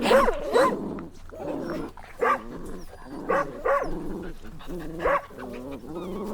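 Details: Little puppies playing outdoors, giving short high whining yelps and whimpers in quick bursts roughly every second, over a faint low hum.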